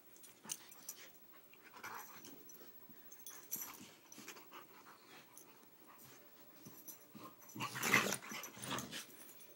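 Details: Two dogs at play, 16-week-old Churchill and 6-year-old Sofia, in a small room; low breathy growls and huffing pants with scuffling, building to a louder rough burst near the end.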